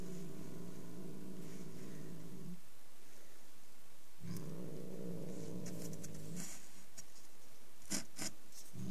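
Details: ['Angry domestic cat growling low and steadily in two long rumbling stretches of about two seconds each, separated by a pause, with a few faint taps and rustles near the end.']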